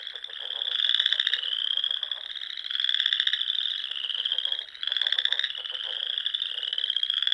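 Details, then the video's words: Frogs singing at dusk in spring among ponds in the rolling dunes of the Sandhills, Nebraska: a dense chorus of high pulsed trills, overlapping bursts swelling about every two seconds, with lower croaking pulses beneath. "RELAXING SOUNDS OF FROGS"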